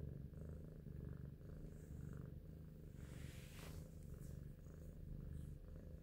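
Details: Steady low purring from Big Shoes, a pet cat lost in thought, a deep even rumble throughout with a short soft rustle midway.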